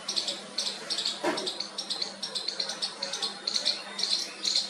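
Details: A baby squirrel makes its first calls to its mother: quick, raspy high chirps repeated about twice a second, with one sharp click near the start and a low constant hum behind.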